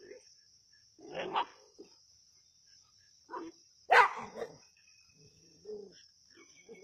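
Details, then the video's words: Native dogs attacking a snake at Keezhadi: a ragged series of barks and grunts, with one sudden loud, sharp bark in the middle, then softer low yaps, over a faint steady high-pitched hum. "கீழடியில் நாட்டுநாய்களின் பாம்பு வேட்டை"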